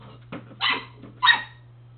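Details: Pepe, a pet dog, plays with his ball. After a faint thump come two short, rough barks, spaced roughly six-tenths of a second apart, over a constant low hum.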